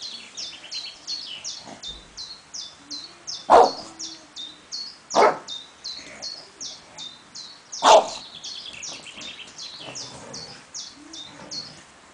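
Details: Three spaced, explosive barks from an English bulldog squaring off with a tiger ring out over a constant backdrop of rapid, high-pitched chirping birds.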